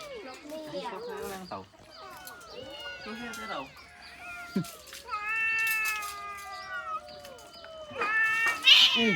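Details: Several abandoned cats mewing over one another, long drawn-out meows with sliding, wavering pitch, some held steady for a couple of seconds, ending in a louder rough yowl, with a person talking in Khmer nearby.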